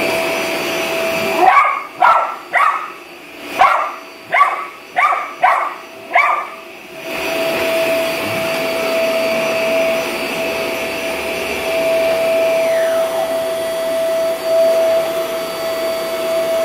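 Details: Havanese dog named Gizmo, unhappy with a running vacuum cleaner, lets out a burst of about eight sharp, evenly spaced barks, then falls quiet while the vacuum's steady droning hum carries on.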